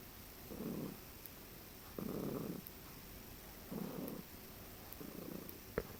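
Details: A very relaxed, drooling male cat stretched out on a person's chest. He gives low, buzzing purr-trills, like a cross between purring and trilling, in four soft bursts about one to two seconds apart. Near the end there is a brief click.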